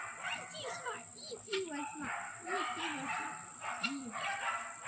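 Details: A litter of bi black puppies whining and squeaking, with many short rising and falling yelps overlapping from several pups, over a constant high-pitched background whine.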